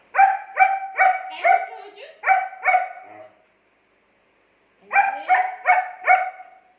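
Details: Arguing with its owner, the German Shepherd Angel gives a fast run of about eight sharp, high barks, falls silent for over a second, then gives a rising whine and four more quick barks.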